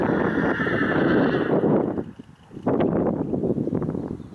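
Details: Akhal-Teke horse, from a breeder near Dubna, Moscow region, Russia, gives a loud, long, quavering whinny during the first two seconds, followed by a short pause, then hoof clip-clop and stable noise.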